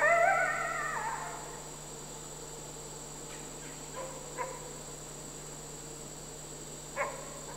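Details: Critically endangered captive red wolves in South Salem, New York, September 2010, an adult male with his roughly five-and-a-half-month-old son; an opening whine sliding downward and fading, followed by a few faint clicks and taps over constant hum.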